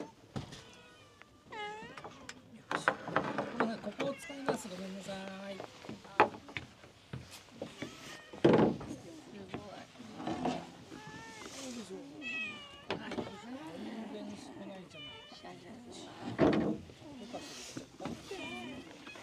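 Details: Stray cats at lunch time at Shima no Eki, repeated harmonic meows rising and falling, several overlapping callers, mixed with human speech, clattering and a door-like thunk.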